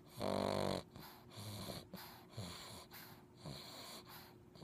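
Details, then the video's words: Puppy snoring without a care: a loud, wheezing, tonal snore opens, followed by several softer, quick, breathy snuffles and snorts in close succession. "Cute And Funny Snoring Puppies Compilation!"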